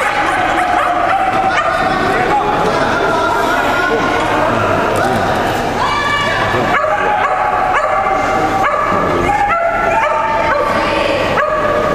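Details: Shetland Sheepdogs, sable merle and blue merle, at the 2012 Americas and Caribbean agility championship; loud high yips and barks in quick runs over a dense crowd and speech din.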